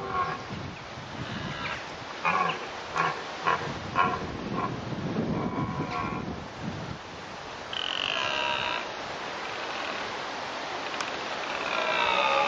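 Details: Red deer in the rut at Bedfords Park: a run of short, harmonic calls in the first five seconds, then a longer drawn-out call near eight seconds and another rising near twelve seconds, with steady wind noise underneath.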